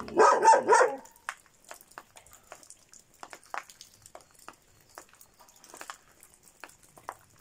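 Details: Šarplaninac dog giving a quick burst of two or three deep, rough barks at the start, followed by quiet with faint clicking and tapping sounds.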